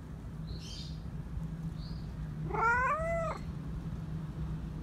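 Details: A stray cat wanting to be petted gives one loud, rising-then-falling meow, with faint high chirps just before it and a steady low hum underneath.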